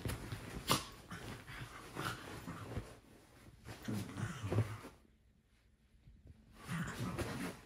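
A Jack Russell Terrier gives low, rumbling grumbles and short whimpering bursts, broken by brief pauses, as a morning wake-up call to its owners. A person's voice answers softly in a small room.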